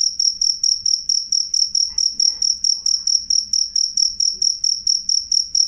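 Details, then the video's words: Cricket chirping loud and clear: a steady, high, ringing trill broken into short regular pulses, about four per second, with a fainter harmonic overtone and nothing else prominent behind it. "suara jangkrik jernih keras"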